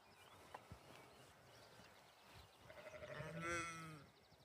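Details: A lamb on a farm in springtime gives a wavering, nasal bleat with a tremulous quiver, after quieter rustling.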